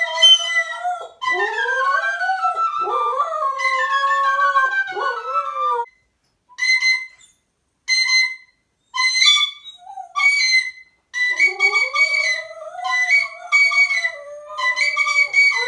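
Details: Siberian Husky howling along with a harmonica, its long gliding, wavering howls rising and falling for about six seconds, then short bright harmonica notes and chords with pauses, applause-like sounds nearby.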